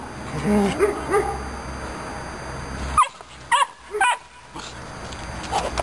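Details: Romanian Mioritic Shepherd Dog puppy, described as aggressive, with soft whining yelps at first, then three or four sharp, clipped barks in quick succession over a low hum.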